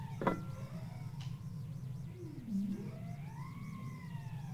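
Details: Bowhead whale "strangled cat" song recorded off West Greenland: low, swooping tonal notes that dip and rise over steady ocean hiss. Bowheads can make two sounds at the same time.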